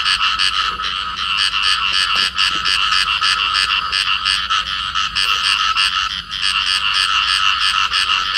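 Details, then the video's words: A pair of field frogs clasped together in amplexus, calling: a dense, continuous run of rapid, raspy pulsed croaks, several per second, loud and steady throughout, with no other clear sounds. "cặp nhái đồng ôm nhau kêu"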